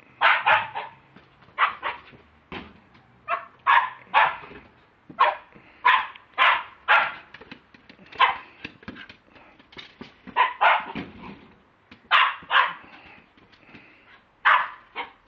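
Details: Lakeland Terrier, recorded on a mobile phone, keeps up a long run of bright, clipped barks, often in pairs or triplets, irregularly spaced with brief pauses.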